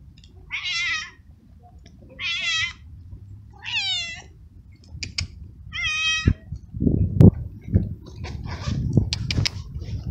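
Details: Two stray baby kittens, one black and one gray, outdoors on a cold, windy day at feeding time; four high, harmonic meows about every 1.5 seconds, then scattered knocks and faint noises under low wind rumble.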